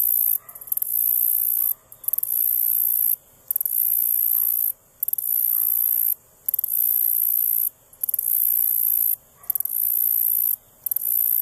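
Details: Black-legged meadow katydid male perched on an Ipomoea quamoclit stem, Boone County, Missouri, giving a high sizzling buzz in repeated stretches of roughly one second, split by short silent gaps, with faint ticks leading into each phrase.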